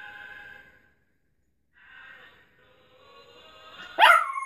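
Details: A pet dog howls along to the song It Gets Better by Mad Child, giving sustained tonal wails with stacked harmonics, a pause, then a rising howl and a sharp loud yelp near the end.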